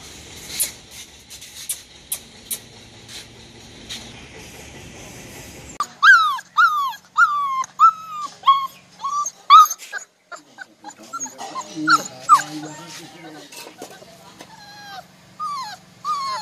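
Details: Male golden Labrador Retriever puppy, 40 to 45 days old, in New Delhi: quiet first six seconds with faint clicks, then a run of high, bent whimpering yelps in quick bursts, some rising and falling, continuing in scattered clusters to the end.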